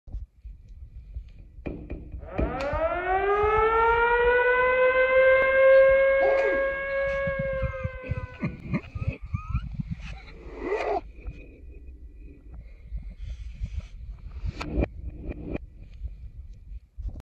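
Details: A French Bulldog gives a long, drawn-out wailing howl that rises and then holds steady, apparently on being woken.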